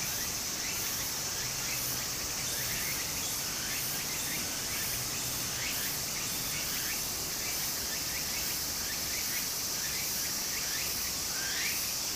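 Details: Cicada voices in a Japanese summer, recorded at a flowing brook: an unbroken shrill whine high overhead, with rhythmic looping strokes recurring throughout, all set against the even rush of the stream.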